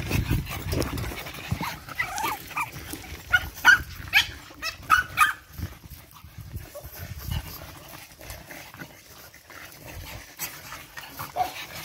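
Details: Energetic eight-week-old Boston Terrier litter at play: a burst of short, high, squeaky yips and yelps clustered in the first half, then scuffling, thumps and light movement noise as the puppies romp.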